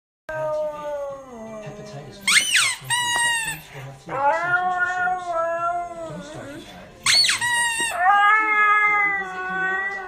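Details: A Siberian Husky gives drawn-out, tuneful howls that rise then slide downward, each lasting a couple of seconds, in displeasure at a squeaker toy whose short, shrill squeaks come just before each howl.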